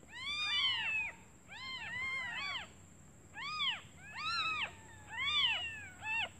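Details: Kittens only just born calling for their mother because they are hungry, she having gone out for food; clusters of wavering high mews from several kittens, bursts separated by brief pauses, faint hum beneath.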